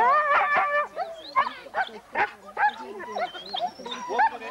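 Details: Racing huskies in the Forest of Dean in November 2001, old VHS footage: rapid bouts of high yelping barks from a crowd of dogs, some whining notes rising above, with background voices.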